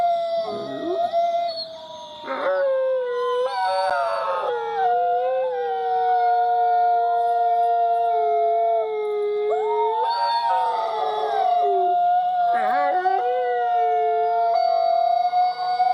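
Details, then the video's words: Sustained howling from a dog, several long drawn-out notes sliding down and levelling off, some overlapping and wavering, with short rising yips between phrases and a constant thin high whine in the background. "Make your Dog Howl"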